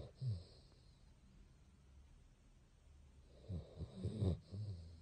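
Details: Sleeping Basset Hound, a pet dog indoors, breathing noisily: a low snort near the start, then a quiet stretch, then a cluster of rough, rumbling snoring snorts over the last second and a half.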